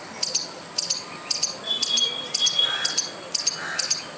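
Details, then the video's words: Squirrel calling without apparent cause: thin, high, clipped chirps in pairs, repeated roughly every half second, against quiet background with a brief faint whistle and a few distant bird notes. "squirrel making noise without any reason"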